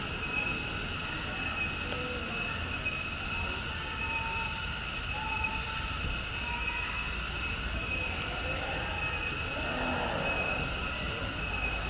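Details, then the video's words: Cicada chorus in a protected forest where long-tailed macaques live, part of a tourist-park conservation area. A constant, even, high metallic whine holds throughout, with a few faint short whistled notes midway. "suara tonggeret"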